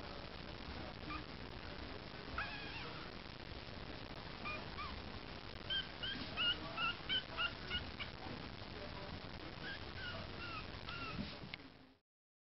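A Yorkshire Terrier puppy gives a run of high, thin whimpers and squeaky yelps.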